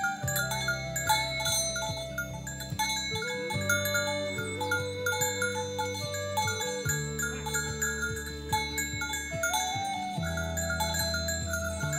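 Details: Twinkling chime and mallet music plays over a pulsing low bass line, with no animal voice heard.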